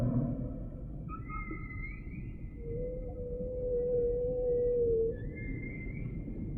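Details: Humpback whale song units: thin, pure tonal notes, one sustained mid-pitched whistle-like moan and higher flat tones with short upward sweeps, over a soft rumbling undersea background.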